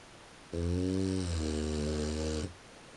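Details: A single drawn-out snore from a French Bulldog sleeping in the early morning hours, 3:45 a.m., deep and buzzy, lasting about two seconds with a slight break partway through, inside a quiet room.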